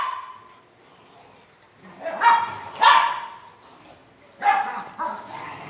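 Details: Loud, rough barks from a French Mastiff in India, two in a tight pair, a short lull, then two more, each bark dropping away into a low trailing rumble.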